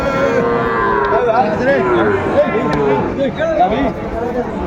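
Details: Sahiwal cattle at a Sylhet cattle market, Bangladesh, 29 June 2024: overlapping wavering moos from several animals beneath crowd chatter and a steady market hum.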